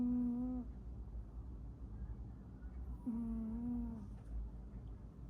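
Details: Domestic cat snoring indoors: two drawn-out, steady humming snores with a low, buzzy tone, the first lasting about half a second and the second about a second, roughly three seconds apart, over a constant low rumble.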